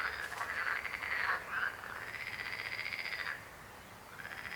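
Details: Frogs croaking in a continuous buzzy, pulsed trill that swells and then fades after about three seconds, followed by a brief fresh burst of croaks.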